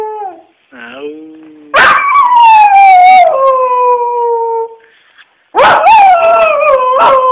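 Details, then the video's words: Soft whines from Fritz the dog lead into a loud, wavering howl that slowly drops in pitch and fades. After a short silence a second strong howl breaks out, shaky and rising and falling in pitch. "Fritz Barks"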